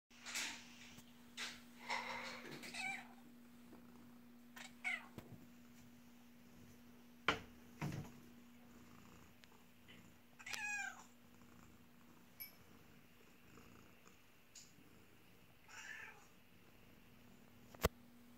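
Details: An adult domestic cat in a bathroom gives a string of wavering meows, some drawn out, some short, over a low steady hum.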